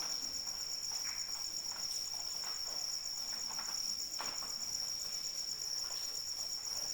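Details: During rain, a cricket keeps up a bright, fast-pulsing high trill without breaks, accompanied by light rain patter and scattered water drops.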